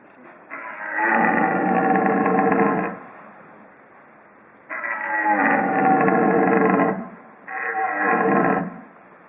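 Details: Red deer stags roaring during the rut, young and old stags answering each other near Borovnica, Slovenia: three loud, rough, broadband roars of two, two and one second separated by short pauses.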